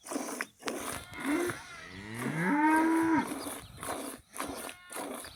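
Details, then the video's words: Cow mooing in a village, a short low call then a sustained rising-and-level moo near the middle, with scattered rustling and knocks around it. "Ауылдағы сиыр осындай"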